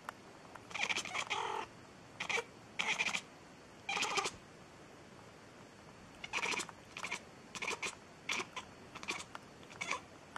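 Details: Cat meowing nonstop: a string of short, bright meows in separate bursts, several in quick pairs, with quiet gaps between them and a faint steady background hiss.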